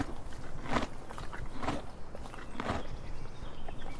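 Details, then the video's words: A donkey eating, with crunchy chewing bursts about once a second over a low, rustling background. "Donkey Eating Sound Effect"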